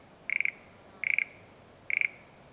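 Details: Satoyama countryside frog giving three short rattling notes, each a fast burst of about five clicks at a steady mid-high pitch, spaced under a second apart against quiet background hiss.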